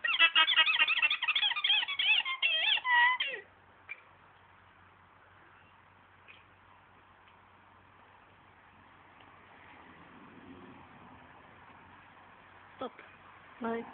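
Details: An alpaca on an alpaca farm in Norway gives a quick burst of high, squeaky, wavering cries, then falls silent.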